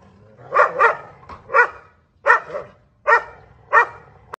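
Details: Two dogs barking at each other through a gate, heard as about seven sharp, separate barks, some in quick pairs, at an uneven pace with short silences between.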